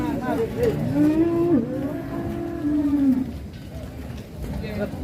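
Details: Enraged, out-of-control cow lowing: a long moo that rises, dips sharply at mid-call, then resumes as a level, drawn-out tone before falling away. A fainter brief call comes near the start, with engine-like rumble and murmur beneath.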